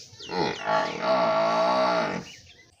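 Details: A village cow lets out a low, rising moo that settles into a long, level, nasal drone with a rich tone for about a second, led in by brief grunts and fading quickly.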